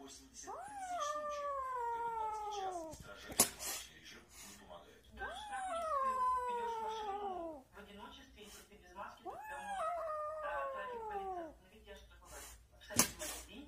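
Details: Cat in a compilation of cats and kittens giving three drawn-out, wailing meows that rise then slowly fall, roughly every four to five seconds, with faint voices and clicks behind.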